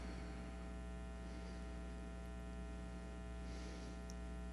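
Only a steady electrical mains hum with faint static is heard, with no animal sound.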